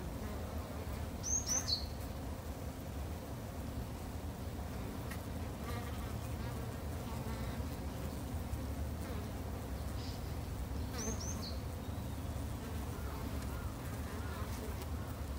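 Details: Japanese honey bees kept at a backyard hive make a steady low droning hum throughout, with a few short, high bird chirps breaking in near the start and again later.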